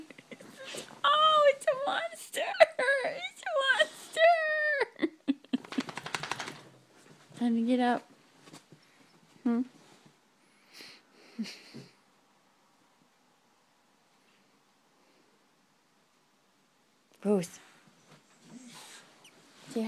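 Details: Rosie, a female dog making funny noises while waking up, gives a run of rising and falling, wavering whining moans over the first five seconds. Scattered softer grunts and a person's voice follow, then near silence and a final brief burst of speech.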